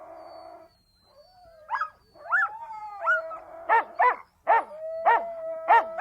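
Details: Siberian Huskies calling: a drawn-out tonal howl running underneath, broken by rising yelps and then a run of sharp barks about every half second toward the end.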